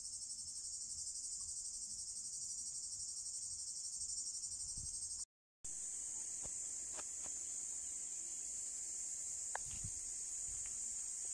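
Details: Male cicadas in Drôme and Ardèche, France, sing by day in summer heat to attract females, a steady, high-pitched buzzing chorus.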